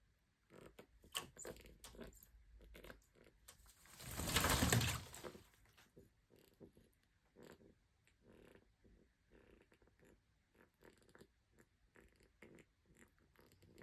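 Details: Excited pig in a bath making rapid, short, clipped grunting noises at an uneven pace, broken midway by a loud broad rush of noise lasting about two seconds, then the quick grunts continue.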